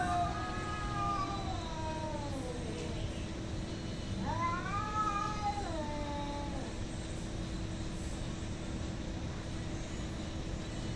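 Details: Cats fighting, hostile toward each other: long drawn-out wailing yowls that slide downward over several seconds, then a second rising-and-falling wail, over a steady low hum and background rumble.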